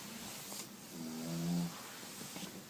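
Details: Penny, a Pugalier dog, snoring like a pig: soft low breathing, then one rough, rumbling snore swelling for about half a second mid-clip before fading back to quiet breaths.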